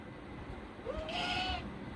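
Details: A pet cat named Football, restless at the sight of flowers, gives one drawn-out meow that rises and then levels into a steady, slightly wavering tone of nearly a second, with faint room noise around it.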